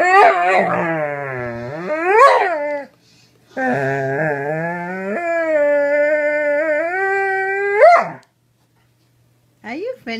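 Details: Pet Doberman howling in long, wavering tones that slide up and down, with a rising yelp near the start and one near the end, a silent gap around three seconds, and a brief further cry at the close.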